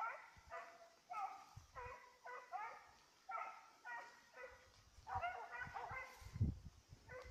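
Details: Petit Basset Griffon Vendéen hound baying while chasing a rabbit, recorded 5 October 2014: a run of short, ringing, harmonic bays about every half second, with low rustling and thumping underneath.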